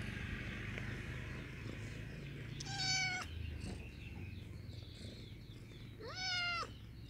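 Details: Pretty white domestic cat meowing as if inviting acquaintance: two clear, drawn-out harmonic meows about three seconds apart, each rising then falling, over steady high chirping and a low background hum.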